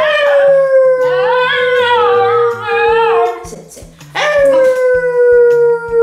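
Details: Basenji dog at home howling and yodelling during a training session with treats as reward: long, smooth, slightly falling tonal howls with a wavering yodel in the middle, over a steady low music beat.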